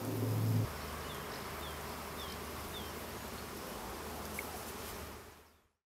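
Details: Honey bees gathering nectar from fully flowering acacias in a small grove in the Colli Berici during an early season: a steady low droning hum throughout, louder at the very start, with a few faint short bird chirps above.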